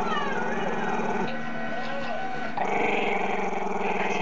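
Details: Chester, a young Maltese-Shih Tzu who dislikes being filmed, holds a steady buzzing growl throughout. The tone shifts slightly and grows a little louder after about two and a half seconds.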